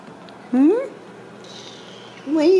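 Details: Ragdoll kittens in a home cattery in central Kansas, kept behind a small fence. Two loud, rising meows, one just after the start and one at the end, with a faint steady high hum between them.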